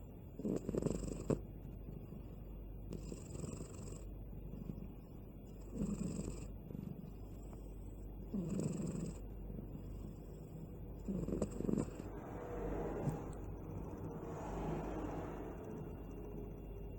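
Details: Balu, a sleeping cat, snores in a steady rhythm. Each soft, raspy breath comes about every three seconds, with a faint hiss on the exhale, over a low background hum.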